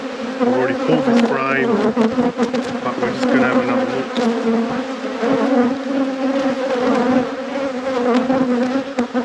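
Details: Continuous buzzing of honey bees at an apiary at peak production while hives are inspected; thick, even drone with rising and falling loudness and a few words spoken early on.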